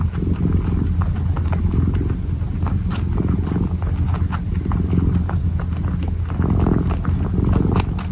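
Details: Purring kitten kneading, a low continuous rumble beneath frequent soft ticking and rustling noises from paws and fabric.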